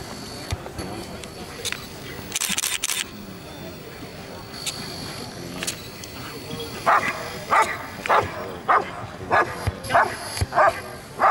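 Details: A female Rottweiler gives a run of deep, forceful barks in quick succession during a character test at an Italian Rottweiler club championship, with people talking nearby.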